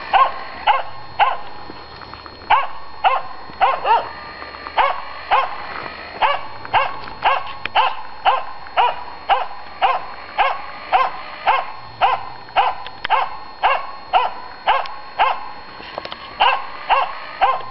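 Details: Finnish Spitz facing a raccoon dog, giving a fast, steady run of sharp ringing barks, nearly two per second, continuing throughout without pause.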